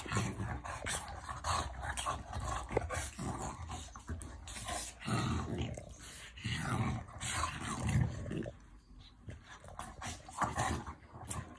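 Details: A French Bulldog growls in rough, low rumbling bursts during affectionate play.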